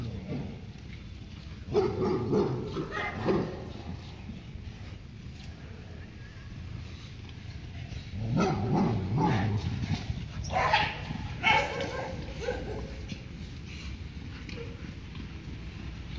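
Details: A Labrador Retriever, while playing, gives deep, gruff barks in irregular bursts at a neighbour's dog over a steady background hum.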